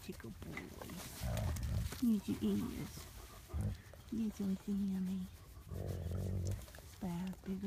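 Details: Wolfdog Sammy at the Southern Ohio Wolf Sanctuary, being worked with and making progress, gives a string of short, mid-pitched whining cries, some wavering, others flat, mixed with low grumbling rumbles and a person's voice nearby.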